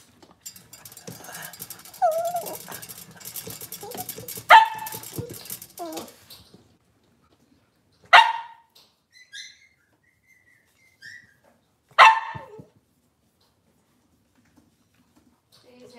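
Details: Indoors on a kitchen cam, a Cavalier King Charles Spaniel first whines quietly amid rustling, then lets out three single sharp barks spaced about four seconds apart, with silence between.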